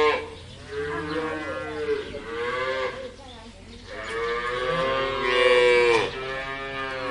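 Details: A cow (Bos taurus) gives three long, drawn-out moos, each rich and droning and bending slightly in pitch, with brief pauses between them.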